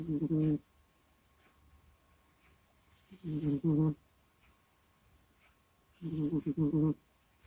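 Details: Kusya, a domestic cat, snuffles and groans in its sleep close to a microphone. Short moaning breaths, some split into two or three pulses, come every three seconds in a quiet room.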